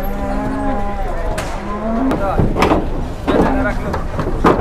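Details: Cattle unloading from a truck in Indonesia: two drawn-out low moos, the second rising slightly at the end, over men's chatter, thumps and a steady engine rumble.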